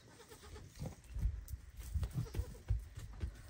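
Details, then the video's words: Young goat calling loudly to its mother to be fed; faint brief bleats over strong low rumbling and knocking, with little clear calling in a short stretch. "Cute baby goat loudly calls his mother so that his mother will feed him"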